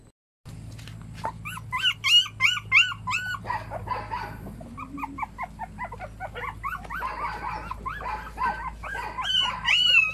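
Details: Puppies whining and yelping in quick succession, arched high-pitched cries at roughly three per second, some sliding up and down, growing busier and louder toward the end over a low steady hum.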